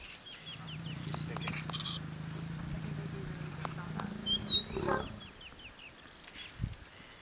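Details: Lions mating in the Masai Mara National Reserve, Kenya, on open grassland: a low, steady rumbling growl holds for about four seconds, then fades, while small birds give short high chirps and a few whistled notes.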